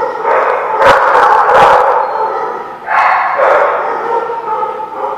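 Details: Dogs at a barking lot, recorded 4/11/16, giving long, drawn-out baying barks, two sustained rough-toned bouts of about two seconds each, with sharp clicks and knocks in between.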